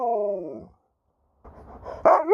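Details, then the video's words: Sherpa, an Alaskan Malamute from St Ives, Cornwall, England, talking back to his owner: a falling, harmonic woo-woo vocalisation for about half a second, then a pause and a rising whine at the end. "Dog won't let me Finish a Sentence without Talking Back!"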